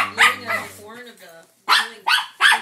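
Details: Norfolk Terrier reacting indoors to odd sounds from a wrapping paper tube: a soft voiced murmur, then three sharp, rough barks in quick succession near the end.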